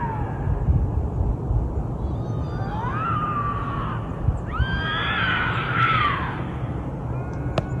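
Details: Bobcat howl, played to repel raccoons and rodents: two drawn-out, wavering yowls, the second rising then sliding down in pitch, over a steady low rumbling background.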